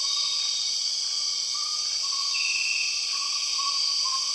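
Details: Borneo rainforest soundscape with empress cicadas: an unbroken shrill metallic drone throughout, a short louder buzzing burst midway, and a string of small sliding whistle-like notes lower down.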